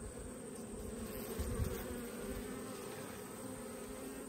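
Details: Honey bee colony droning during an autumn hive inspection, a steady low hum with a faint mid-pitched band running throughout, quiet overall, with a few soft handling knocks and no speech.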